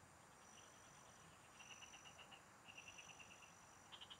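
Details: Field frogs calling during a fishing trip, each burst a quick series of five to eight sharp high pulses, bursts about a second apart, over a faint steady high buzz and soft background noise.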